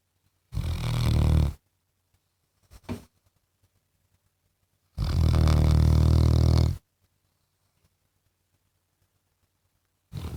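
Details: Snoring from a pet Labrador Retriever, low rattling breaths: a one-second snore, a brief soft snort, then a longer two-second rumble, and the start of another at the end, with silent pauses between.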